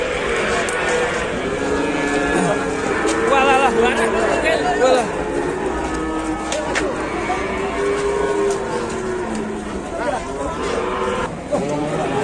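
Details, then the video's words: Angry cattle at a busy Indonesian livestock market, one having charged; several drawn-out tonal moos overlap amid constant crowd chatter, speech and background music. "SAPI NGAMUK NGEJAR SAYA GRADONG BIKIN GEGER PASAR"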